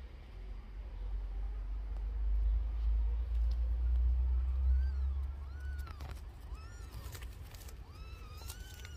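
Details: Newborn kittens suckling from their mother give a scatter of thin, high mews in the second half, short arched and rising-falling cries overlapping one another, over a steady low rumble.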